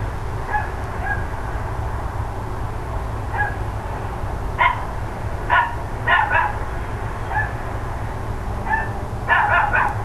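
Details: Neighbours' dogs barking on the morning of 13 October 2012: scattered soft barks build into louder bursts, ending in a rapid cluster of three or four overlapping barks, with a constant low droning hum beneath.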